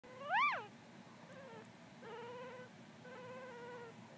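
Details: Baby Chihuahua giving a sharp, high squeal that rises and falls quickly, followed by two longer, softer, level whimpers, each lasting about half a second, in a quiet room.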